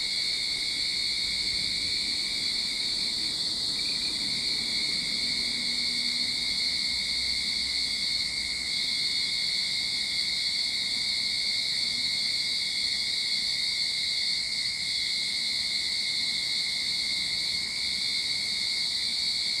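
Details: Sydney backyard cicada chorus at the start of summer: an even, piercing high-pitched hiss-like drone layered over a thin steady whine, with a brief faint low hum in the background.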